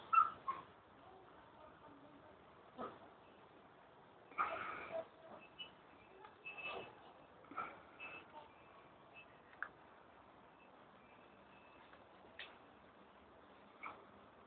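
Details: White Swiss Shepherd puppies in August 2009 give soft, scattered whimpers and squeaks among faint rustling.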